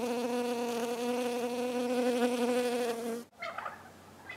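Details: A honey bee gives a steady, even-pitched droning wing buzz that ends abruptly into soft background sound; early spring, February 4, 2018, among snowdrops as bees bring in the year's first notable pollen.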